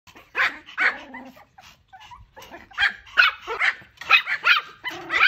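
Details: Pomeranian. A small Pomeranian barks repeatedly, each yap short, shrill and bright. The barks come in uneven clusters, roughly two or three a second, with brief pauses between runs.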